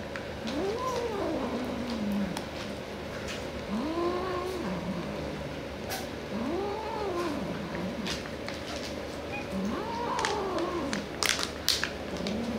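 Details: Cat reacting to an edible toy, giving four drawn-out, wavering, rising-then-falling meows spaced about three seconds apart, with a person talking and clicking noises in the background.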